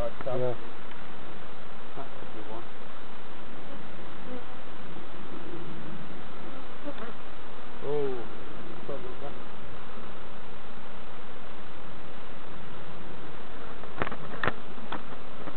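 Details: Honey bees humming steadily during a novice hive inspection at Summerwood Lane Allotments and Community Garden; a dense low drone fills the clip, with brief human voices and a few clicks near the start and end.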